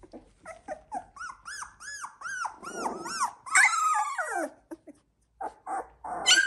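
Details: Young Labrador Retriever puppies of the Z2 litter, 16 days old: repeated rising-falling squealing whines, some long and loud, several pups overlapping, with a short quiet gap near the end.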